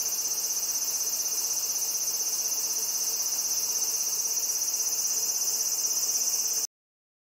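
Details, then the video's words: A male large brown cicada (Graptopsaltria nigrofuscata) on a black locust trunk on a riverbank in Japan sings full blast to attract a female: a steady, high, sizzling drone that cuts off abruptly. Sunny early afternoon, about 12:55, early August 2020. "Large Brown Cicada in Tree-climbing, Singing, & Takeoff 240fps"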